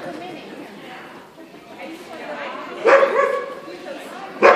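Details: Standard Poodle named Mystic at an AKC agility trial on 9 February 2014: two sharp, loud barks about a second and a half apart rise over steady crowd chatter.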